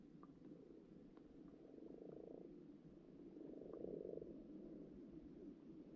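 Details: Frogs croaking underwater in a pond as lots of frog spawn appears: a steady, low purring chorus of overlapping rattly croaks that swells around the second and fourth seconds, with no other clear sounds.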